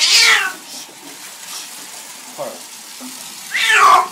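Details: Loud yowling meows from Parla, a black and white house cat, vocal in her dislike of a bath. A strong descending wail opens and another closes the moment, with softer murmurs and water noise between.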